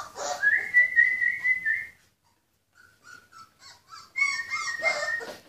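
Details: Litter of purebred Rhodesian Ridgeback puppies born 14 February 2016: a long, high, wavering whine, a pause, then a string of short, soft yelps and another high whine mixed with squeals.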